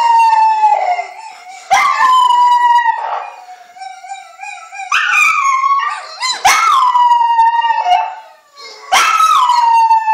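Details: A female Miniature Pinscher at home howls in high, drawn-out wails that start sharply and sag slightly in pitch, in response to a video played to make dogs howl.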